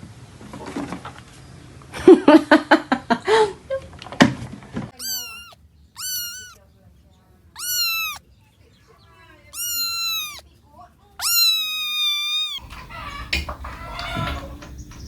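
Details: One of a household of mostly stray cats and kittens meowing indoors: a run of clear, drawn-out meows with bending pitch, the last one longest, preceded by a person talking and rustling handling sounds.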